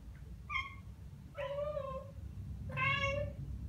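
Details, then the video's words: After hearing birdsong, a young Ragdoll cat gives three clear chirping meows: a short first note, then two longer steady ones with rich harmonics, over a low room hum. "고양이 채터링? Cat Chattering"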